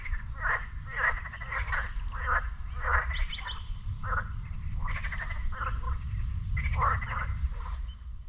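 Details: Frog chorus at a lake near the beach in Sinemorets, recorded one May 2022 morning. Rasping pulsed croaks repeat roughly every half second, with a few overlapping callers, over a constant deep rumbling background.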